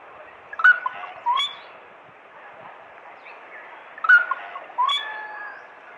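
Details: Smooth-coated otter fishing at the Karnali River in Bardia National Park, Nepal: short, sharp harmonic chirps and squeaky rising notes in two clusters about three seconds apart, with quiet gaps between.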